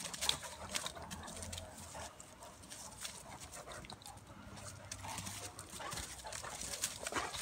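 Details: Two dogs, a Bulldog/Staffy cross and a Cane Corso, play-wrestling; short, deep growls come in a few stretches, the clearest near the start and again midway, set against steady scuffling, huffing breaths and rustle.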